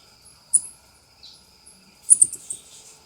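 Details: South American coati, also called ring-tailed coati: sharp, very high squeaky chirps, one short note then a quick stuttering cluster of four or five near the end, over a faint steady high hum.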